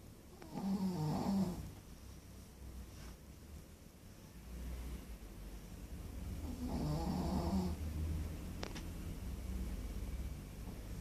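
A Pekingese snores in slow, raspy bursts, each rattling breath rising and fading every few seconds.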